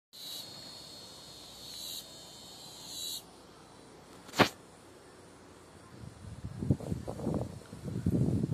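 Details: At a bushcraft base camp shelter in Brazil, cicadas give a steady, high, buzzing whine for about three seconds before it stops abruptly.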